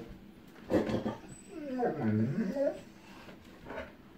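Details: Echo, a female dog frightened of an approaching storm, whimpering at distant lightning before thunder; a drawn-out wavering whine rising and falling in pitch, with short voice-like sounds before and after.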